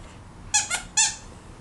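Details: A Cavalier King Charles Spaniel puppy playing with squirrels gives three brief, sharp, high squeaks in fast succession, each bright and clipped, in a small, otherwise quiet room with faint background hum.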